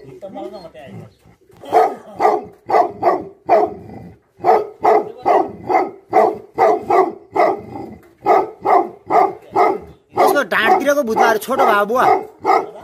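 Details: A rapid, rhythmic volley from angry Tibetan Mastiff dogs (Bhote Kukur): more than two deep barks a second, kept up for about ten seconds, ending in a dense, overlapping burst of barking.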